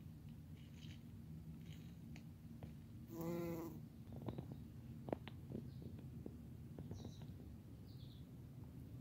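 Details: Pyrobombus bumblebee, recorded 31 July 2020: a low, steady droning hum throughout, broken near the middle by a louder, rich buzzing burst about half a second long, with scattered faint clicks around it.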